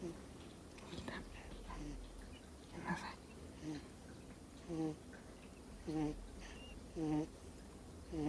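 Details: Two-month-old Miniature Schnauzer puppy, sound asleep indoors and snoring; short nasal, faintly whistled snores repeat roughly once a second in the second half, after softer rustling and breathing at the start.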